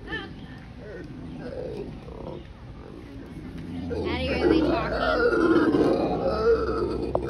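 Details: Howler monkeys screaming at John Ball Zoo; after a quieter start a loud, rough, roaring chorus swells and holds, with people talking throughout.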